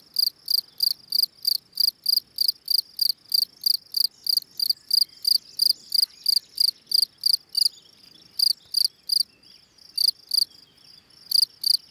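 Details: Gryllus campestris, the field cricket, singing its calling song: a long run of bright, trilled chirps about three per second, briefly faltering with a short gap near the end before resuming.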